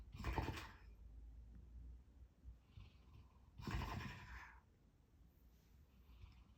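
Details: Sleeping dog making odd noises: two short, breathy, snorting bursts about three seconds apart, with soft fainter huffs between them, in an otherwise quiet indoor room.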